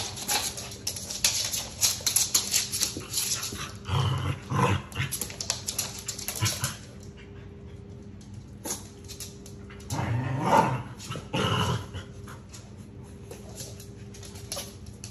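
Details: A Pomeranian and a Keeshond play-fighting: bursts of rough growling and snarling around the fourth second and again near the tenth to twelfth seconds, amid scuffling, rustling noises throughout.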